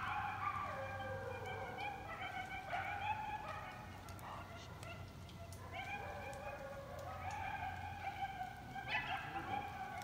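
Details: Group of coyotes in a yipping chorus: overlapping quavering howls that sweep up and down, broken by bursts of quick sharp yips, swelling again near the end, with a faint low hum underneath.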